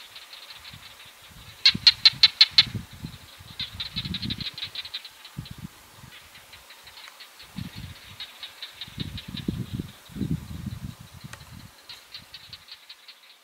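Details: Barking geckos calling on 22 July 2022: bursts of sharp, rapid clicks high in pitch, a loud rattling series near the start, then softer clicking trains repeating across the recording, with low rumbling noise underneath.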